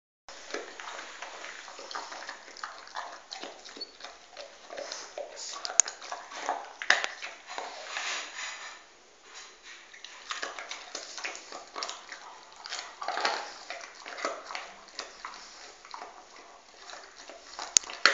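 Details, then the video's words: Pet dog gnawing on a bone indoors: steady wet crunching and clicking, irregular bursts of scraping that swell and fade over about eighteen seconds, with no barking and a quiet room behind. "Video del mio cane mangiando un osso My dog eating a bone كلبي أكل العظام"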